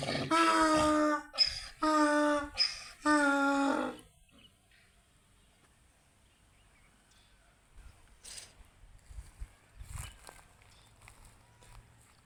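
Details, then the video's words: Donkeys fighting, in Tharparkar. Three loud, harsh, strongly harmonic cries come back to back within the first four seconds, each about a second long. Near silence follows, broken only by faint rustles and brief clicks. "Donkey's fighting"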